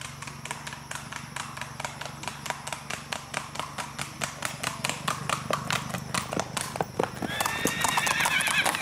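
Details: Hog Pen, a sorrel cross-bred stud saddle horse under a rider on the trail: rapid clip-clopping hoofbeats throughout, then a short, bright, wavering whinny bursting out near the end, with men talking.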